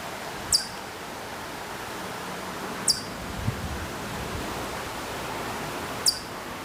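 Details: Hokkaido chipmunk calling from quite far off at Maruyama, Sapporo, Hokkaido, in September 2014: sharp, very high chirps with a brief downward tail, spaced roughly two to three seconds apart, over steady outdoor background hiss.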